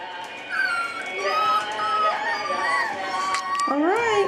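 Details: A litter of puppies at seven weeks old giving repeated thin whines and whimpers, several sliding up and down in pitch, ending with a rising then falling cry, with a person's voice in the background.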